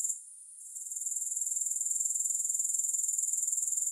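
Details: Grasshopper sound with no music: a brief quiet dip at the start, then a thin, very high trill swelling back into dense, evenly spaced rapid pulses that continue steadily to the end.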